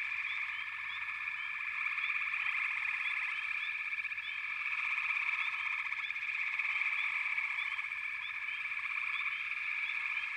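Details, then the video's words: A crowded frog chorus, a shimmering high trill that swells and fades slightly, overlaid by quick chirping notes repeated roughly four times a second. "Frog Chorus"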